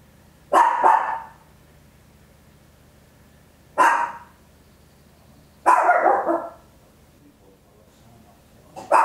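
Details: Papillon, a tiny dog, barks loudly in a home recording made with an Olympus LS-11; four abrupt, bright barks arrive at uneven gaps of about two to three seconds, the third longer and fuller.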